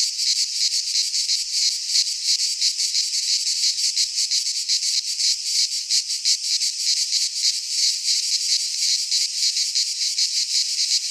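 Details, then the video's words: Midsummer song of cicadas in a Greek pine forest, a relentless high, metallic buzzing chorus pulsing rapidly and unevenly, about three throbs per second, holding the same level over the whole stretch. "Cicadas singing in midsummer - Nature sounds from the Greek fauna - Sounds of cicadas"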